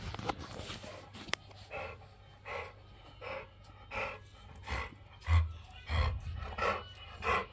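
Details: Shih Tzu puppy struggling for a toy, giving short breathy grunts and snorts that repeat about every two-thirds of a second, with several bursts growing louder toward the end over a low steady hum.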